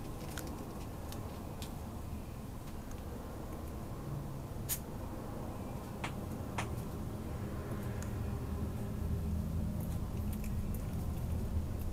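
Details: Low rumbling indoor background with scattered sharp clicks and taps, and no animal voice heard.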